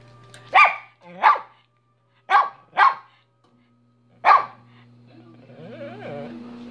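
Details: Barking dog, Minnie, giving five spaced sharp barks, some with a whiny upward tail, followed by a quieter stretch of warbling tonal sound and a steady low hum.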